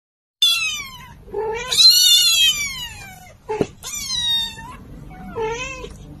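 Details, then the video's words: Little kitten meowing loudly, four drawn-out, high, falling meows over about six seconds, each rich in overtones, the second the longest and most strained, with a soft low hum underneath. "Do You Hear My Voice Guys & Don't Underestimate Me - Says Little Cute & Sweet Kitten"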